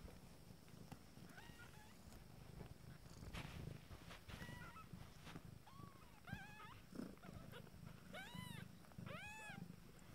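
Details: Nine-day-old Abyssinian kittens: thin, high mews, each rising then falling, repeated roughly every second in the second half, over a continuous low purr and soft rustling.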